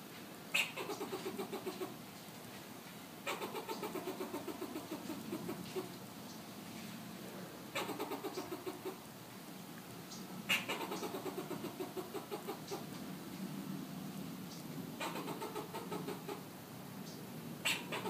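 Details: Fox squirrel calling in Southern California, repeating bouts of quick, husky pulsed barks. Each bout opens with a sharp accent and is followed by a short pause, about five bouts in eighteen seconds.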